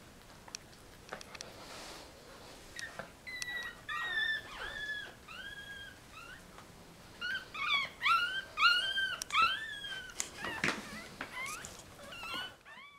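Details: One-week-old Yorkie Russell puppies squeal indoors with high, thin squeaks that rise, then fall, often in quick pairs, at about two per second, and grow louder and more crowded toward the end, with soft handling noises.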